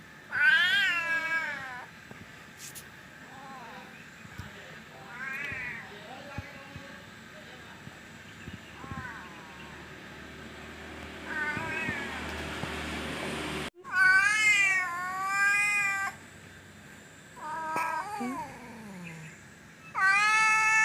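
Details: Domestic cat being named and called in Berau, East Kalimantan, meowing repeatedly: a long run of loud, wavering, tonal meows, some rising and falling, some short and some long, while a person calls it.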